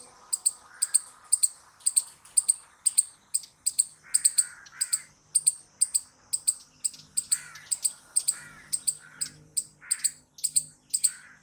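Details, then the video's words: Loud squirrel chatter of evenly repeated, sharp high-pitched chirps about twice per second, accompanied by rougher lower grating notes, with a faint low hum in the background. "Squirrel Noises Loud | Squirrel Sound"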